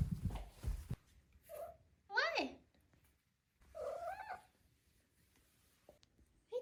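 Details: Four-month-old female Maine Coon kitten trilling and chirping, apparently looking at something outside: a short chirp, then a loud rolling trill sliding downward, and a second wavering trill a moment later. A woman's voice speaks briefly at the start.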